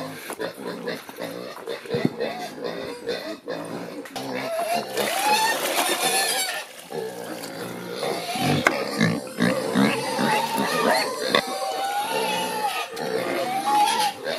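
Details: Several Creole pigs squeal at a morning feeding in rural Haiti, giving long, wavering, strained cries that rise and fall over harsh noisy squealing, with human voices and some music in the background.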